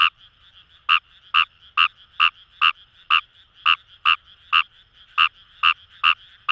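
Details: Fejervarya kawamurai frogs in rice paddies by the Kamo River in Itoshima, Fukuoka Prefecture, Japan, giving sharp clicking croaks at a steady pace of roughly two per second above a soft background frog chorus.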